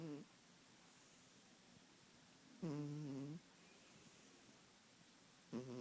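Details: Kitten snoring indoors: low, buzzy, voiced snores with a steady tone, each lasting under a second, spaced about three seconds apart in a quiet room.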